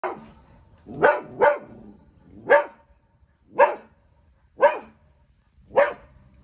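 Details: Border Collie barking while reacting to a pelican: seven sharp, loud barks, the first two close together, then single barks roughly once a second, with quiet gaps between.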